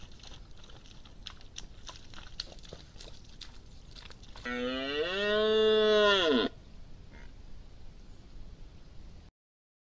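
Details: Red deer stag roaring loudly close to a wildlife camera: one strong, rich, harmonic roar of about two seconds, slightly rising then falling, after scattered clicks and rustles, with quiet background afterwards.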